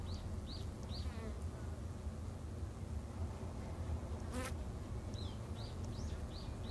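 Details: Japanese honey bees kept in a garden hive, producing a continuous low buzzing drone, while a small bird repeats quick high chirps at the start and end and a sharp knock sounds midway.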